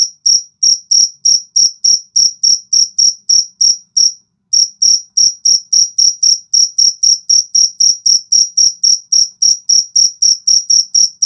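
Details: Jangkrik jago (cricket) calling: loud, high, clean chirps repeated steadily about three to four times a second, with one brief pause near the middle before the rhythm resumes; no other sounds.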